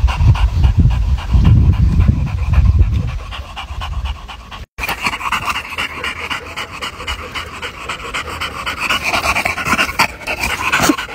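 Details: A pet English Bulldog pants hard and fast, close breathy huffs repeating nearly twice a second; after a brief cut the panting continues with a brighter, hissier sound.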